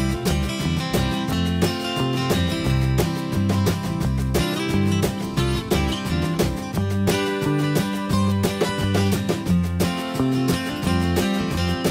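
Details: Strummed acoustic guitar music with a steady country-style rhythm plays throughout, with no animal voices.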